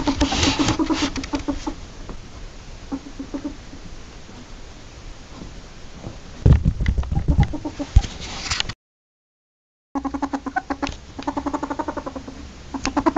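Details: Ferret giving soft, low clucking chuckles in quick pulsed bursts. Handling and rustling noises break in midway, followed by a brief silent gap. Then a renewed run of rapid chuckles.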